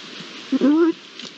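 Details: Iberian lynx, one of a pair, recorded 22-09-22: a brief rising tonal call of under half a second, low-pitched and smooth, over a steady hiss like rain.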